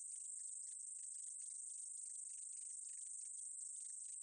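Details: Short-winged meadow katydid singing: a continuous shrill, high-pitched hiss with dense, irregular clicking ticks running beneath it for the whole stretch, steady in loudness, nothing else audible.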